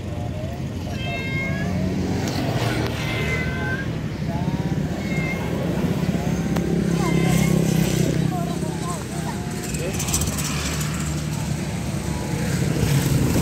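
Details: Cat; meow; mother cat calling her kittens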